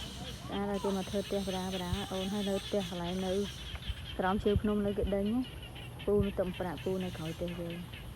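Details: Frogs calling in the rainy season: deep, harmonic, nasal croaks strung into repeated runs, pausing between groups, with faint background hum.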